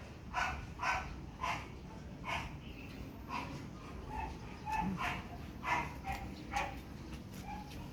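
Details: Pomeranian during a photo shoot at Parkhomes, Muntinlupa, giving a steady run of sharp, high yapping barks about every half second, some doubled, with a low background hum.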